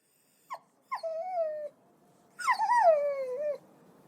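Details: Puppy yelping: two short sharp yips, then a drawn-out whine, and after a pause a longer wavering high yelp that slides downward, clean with no other sounds.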